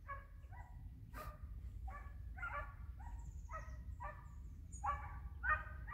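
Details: Three hunting hounds flushing a hare and baying during a hare hunt, hare in sight; a series of short, harmonic, barking bays repeats roughly every half second over a steady low rumble, with a faint whistle above.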